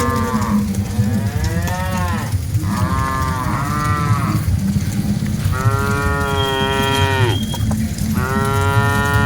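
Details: Dozens of cattle being driven along, mooing loudly in long, drawn-out calls that overlap, with heavy low rumble underneath throughout.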